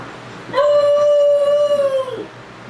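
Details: Young puppy left alone for the first time, howling: a single pure, steady, level howl held for about one and a half seconds, rising in at the start and dropping away at the end, in a quiet room.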